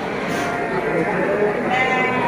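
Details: Brief, quavering bleats from Garut sheep in a busy sheep and goat market at Tanjungsari, Subang, 2022, half-buried under nearby chatter and general crowd noise.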